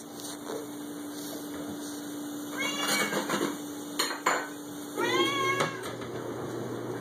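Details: A 6-year-old male Siamese cat, hungry and wanting soft food, gives loud, drawn-out meows that rise and fall amid kitchen clatter.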